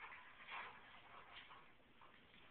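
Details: Upset Alaskan Klee Kai mother whose puppy's smell was washed off, with her daughter and the sire nearby. A louder strained whine near the start is followed by softer whimpering yips fading out.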